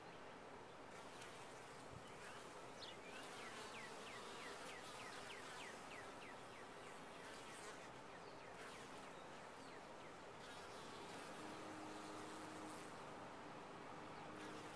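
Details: Continuous drone of honey bees in a top-bar hive, a steady buzzing hum with short high chirps scattered over it in the first half.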